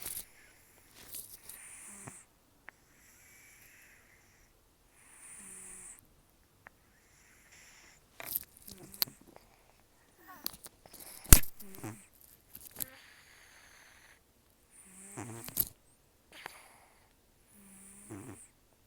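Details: Rescued cat Taro, an estimated 10 to 14 years old with almost no teeth after periodontal disease and a long outdoor life, snoring very roughly while asleep indoors. Raspy nasal breaths come in irregular bursts, with some sharp clicks between them.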